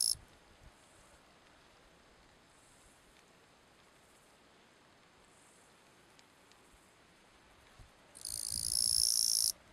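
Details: Bush-cricket Gampsocleis schelkovnikovae calling song from Letea, Romania, September 2012: long near-silence with faint distant buzzing, then one loud, sustained, high hissing buzz of about one and a half seconds near the end.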